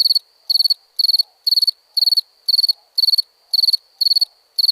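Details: Cricket sounds at night: bright, high chirps made of four or five fast pulses, repeated around two times per second with regular spacing, little else audible.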